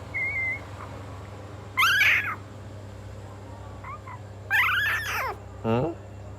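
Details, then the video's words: Hungry puppy giving three high, strained cries: a brief falling whine, then a longer wavering one, then a short steeply falling yelp, separated by quiet gaps, with a faint low hum beneath. "Puppy crying and hungry"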